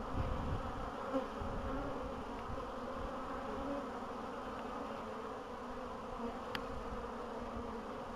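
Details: Continuous droning of bees in spring, 14 April 2013, the colonies having come through a long winter well; even low humming with one short sharp click late on.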